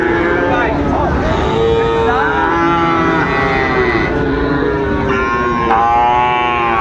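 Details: Sahiwal bull calves offered for sale at Raniganj market, Dinajpur, Bangladesh, 8 August 2024; several long, tonal moos with rich harmonics, some bending upward, amid a constant din of voices and bargaining.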